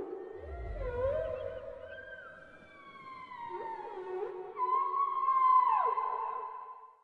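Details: Underwater whale vocalizations: wavering tonal moans with upward and downward swoops, layered higher gliding cries, then a loud, long, high sustained wail that bends downward near the end; brief low rumble at the start.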